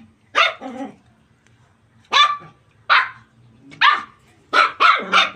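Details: Playful puppies running and jumping in a cramped space bark in sharp, high yaps: a pair at the start, then spaced single barks and a closing quick triple.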